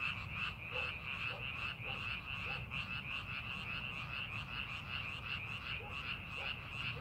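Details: Frogs calling in rice paddies being prepared for farming, a dense chorus of rapid pulsed croaks with a bright band near the upper midrange, many overlapping callers, and a steady low rumble of background noise.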